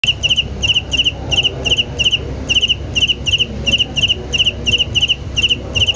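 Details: Cricket. A cricket gives high, pulsed chirps, each a quick burst of three or four ringing notes. The chirps repeat in a steady rhythm over a soft low rumble in the background.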